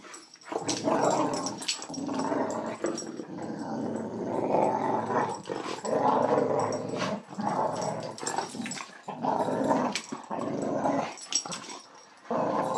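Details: Bonita the Boxer, a female, roughhousing with border collie companion Scrubby and letting him know who's boss. Almost continuous low snarling growls, broken by short breaths, last the whole stretch, with a few rustling scuffles.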